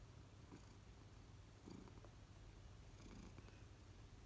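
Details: Low, steady purring from an adult American Shorthair, one of three pet cats kept indoors at home; a soft continuous rumble throughout, with faint scattered rustles.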